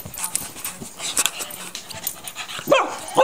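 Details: Yorkshire Terrier, described as a rapper dog, giving two short harmonic yips or barks near the end, each rising then falling, over steady background noise and faint clicks.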